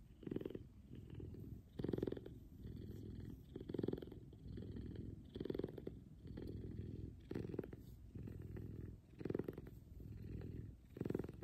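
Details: F2 Savannah cat Kumba purring loudly while cuddled in the morning; deep rhythmic purr with strong pulses recurring roughly every two seconds as the cat breathes in and out, fairly regular throughout.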